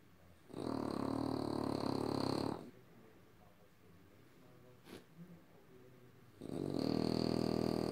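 A French Bulldog makes two long, raspy, rumbling sounds separated by a quiet pause.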